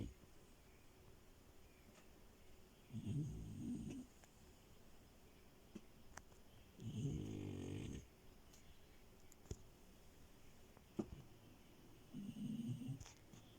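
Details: Milo, a female French Bulldog asleep on a bed, snores three times in about fourteen seconds: low, rough, rumbling breaths, each lasting about a second, separated by long quiet pauses with faint rustles.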